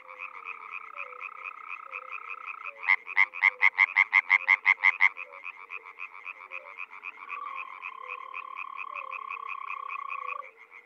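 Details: Spring frog chorus in the Czech Republic: a dense rattling background of many callers, broken by one loud run of about ten quick, clipped croaks, then a drawn-out droning tone beneath the ongoing chorus.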